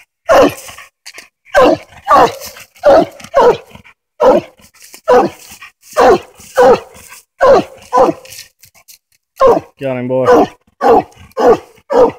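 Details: Coonhound Hoss barks steadily while treed on a den on a Tennessee coon hunt, short mid-pitched chops roughly every half second, with one drawn-out wavering whine near the end and a man urging him on.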